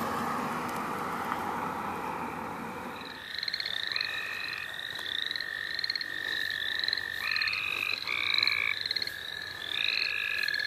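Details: Frogs in a chorus at St. Olaf College Natural Lands. Muffled handling noise and voices fill the first three seconds. Then several frogs overlap: short rising chirps repeat high up, with steady pulsed trills and buzzy notes layered beneath.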